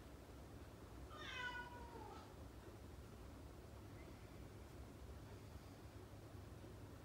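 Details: A Siberian Husky indoors, pestering its owner for attention while he reads, lets out a single high, nasal whine that bends up then slides down over about a second, over a low indoor hum.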